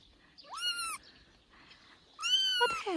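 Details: Young kitten, three weeks old, playing on a man's shoulder, gives two loud meows, the first rising then level, the second longer and harsher, with quiet rustling in between.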